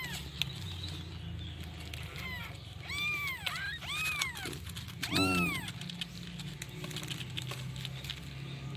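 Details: Kitten calling its mother: a run of short arched mews, each rising then falling, clustered over about three seconds, the last one louder, over a steady low hum.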